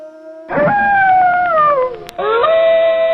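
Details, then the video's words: Wolf howling: one drawn-out tone that slides slowly downward, breaks off briefly, then rises again into a steadier held note. "صوت عواء الذئب ! sound of wolf"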